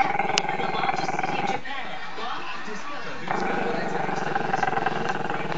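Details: A Maltese-Shih Tzu pup named Chester, camera shy, keeps up a rough, droning growl toward the camera. The buzzy rumble pauses briefly mid-way, then returns steady and continuous.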